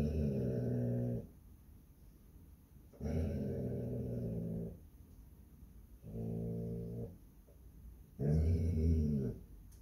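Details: Basset Hound guarding its home on Palm Sunday, giving four low, rough growling rumbles of about a second each, separated by roughly two-second pauses of near silence.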